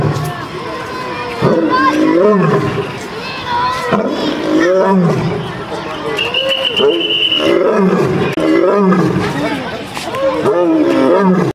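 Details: An angry lion at the gate of his zoo cage, heard at close range, gives a series of loud, deep, grunting roars, each bursting out about once a second.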